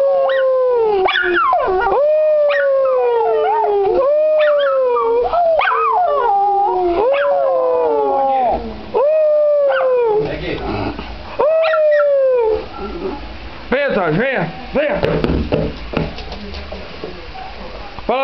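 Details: A schnauzer 'singer' howls in long, wavering, sliding notes, repeated again and again like a mournful song.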